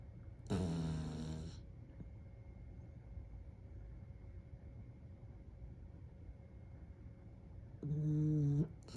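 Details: Little dog Dumpling asleep on his back in bed, snoring gently: two low, buzzy, harmonic snores about seven seconds apart, the first longer and the second steadier, with quiet room hum between them.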